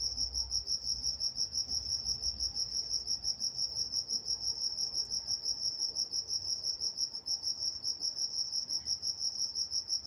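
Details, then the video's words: Night-time crickets recorded in Walnut, California: a continuous shrill chirping, rhythmic pulses roughly three per second at a constant high pitch, over faint low background hum. "Nature Sounds Night Time Crickets in Walnut, California"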